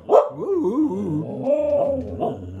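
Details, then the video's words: Samoyeds 'singing' as belated birthday greetings, opening with a sharp yelp and then a drawn-out wavering howl-like woo that slides down and back up in pitch, rich in harmonics, sustained for about two seconds. "Samoyeds Singing Happy Birthday"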